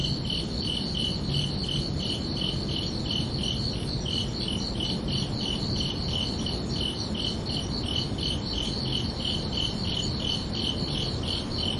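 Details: Crickets at night during summer produce rapid, even rows of bright, high chirps, a continuous rhythmic trill with a gentle low background rumble.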